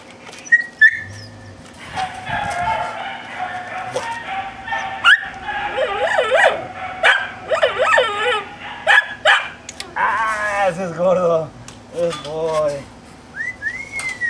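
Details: Hercules, a K9 training dog, builds from scattered barks into a long string of high, wavering whines and yelping barks, rising and falling in pitch over a constant low hum.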